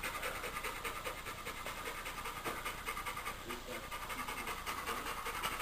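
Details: Female Labrador retriever panting during play with her stuffed toy monkey: soft, rapid breaths at roughly two to three per second, quieter and less even, under a steady background hiss.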